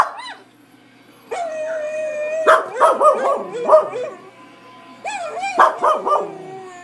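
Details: Pet dog named Samson reacting to a dog on a computer screen with a long whine followed by clusters of yipping barks, quieter gaps between.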